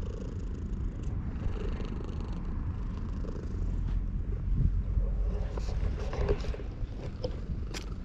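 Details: A stray cat at a shrine, caught sunbathing and petted, recorded with a GoPro HERO8. Continuous deep purring throughout, swelling louder midway, with brief rustles and clicks from stroking near the end.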